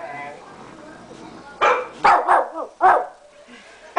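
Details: Shih Tzu weighing 13 pounds barks at a computer: after a quiet start, four quick sharp barks in a burst, then silence.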